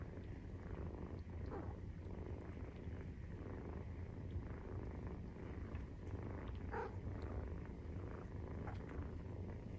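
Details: Steady rhythmic purr from a 43-day-old Maine Coon kitten while suckling, low and throbbing for the full stretch, with occasional light clicks and a faint squeak.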